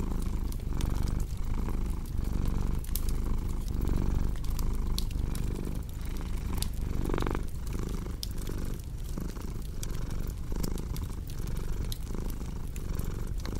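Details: Continuous low purring from a cat, rising and falling in breath cycles roughly every one and a half seconds, with bright snaps and crackles of a burning fireplace scattered throughout.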